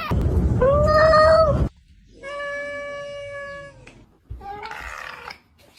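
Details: Pet cat making funny noises: a loud rising-and-falling meow over low background rumble, then a long steady whining tone, then a shorter wavering call.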